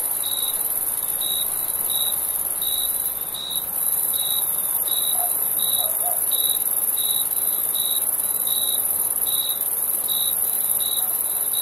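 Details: Night chorus of summer crickets, short high chirps repeated fairly regularly, a bit more than once a second, above a constant shrill high hiss of more insects.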